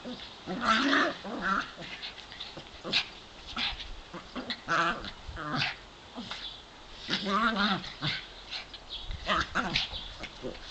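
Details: Play between Davey, a brown dog, and Brodie, a white dog, 7 and 8 years old, in the back yard on a sunny day; wavering, rumbling growls and whiny vocal bursts repeat in uneven spurts with short pauses.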